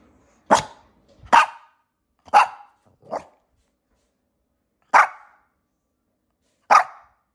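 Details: A small dog barking in her stroller: six sharp, short single barks, the first four close together and the last two spaced about two seconds apart, with silence between.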